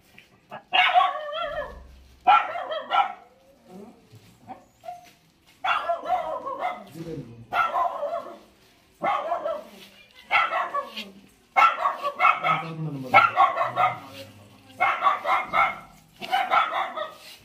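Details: Four Lhasa Apso puppies bark in sharp, yelping volleys, about forty bursts a minute at an uneven rhythm. Softer whimpers fall between them, with a low human murmur in the background.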